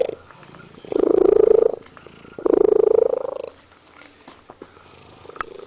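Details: Pet cat singing two sustained, slightly rising meows back to back, followed by near quiet with a few soft clicks and a fainter drawn-out note at the end.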